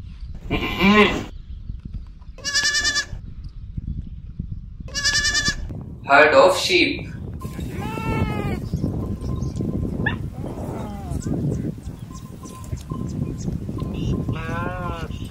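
A goat bleats about six times, each a wavering, nasal call roughly a second long and spaced a few seconds apart, over a low steady hum and some background voices.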